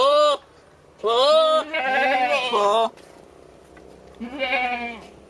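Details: Billy goat courting a nanny goat, uttering weird, scary-sounding yells: a short bleat, then a long harmonic bleat that wavers and breaks into a lower, rough tail, and after a pause one more rising, nasal bleat.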